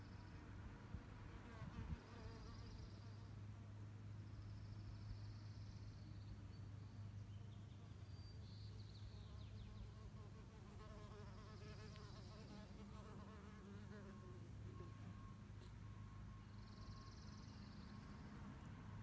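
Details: Female mason bees mining mud for their nests: a steady low droning buzz with wavering overtones persists throughout, while faint thin high tones come and go in the background.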